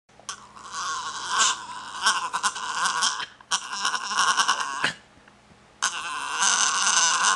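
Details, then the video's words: Norwich Terrier pup, a male, making his unusual sound when he wants his food: strained, bleat-like harmonic cries in three long bursts, each lasting a second or more, separated by short pauses. "Someone wants their food -Norwich Terrier"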